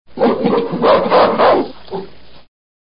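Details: Gorilla giving a harsh, roaring vocal burst of about two and a half seconds, rising and falling in loudness with several pulses, ending in a shorter, quieter grunt; no other sounds.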